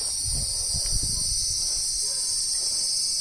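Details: Cicada song as a continuous dense high buzz, steady throughout, with low thumps and rustling beneath.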